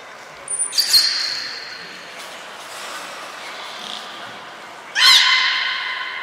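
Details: Captive belugas Hodoi, Taanya and Mirai at Port of Nagoya Public Aquarium, Japan, on 23 February 2021, during pool transfer and training; thin very high whistles early, then a sudden harmonic squawk with trailing tones, in a reverberant hall.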